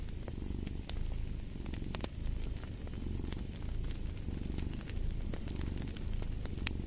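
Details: Low, throaty purring from a house cat, rising and falling with its breathing roughly once a second, while a fireplace crackles and pops in bright, irregular clicks.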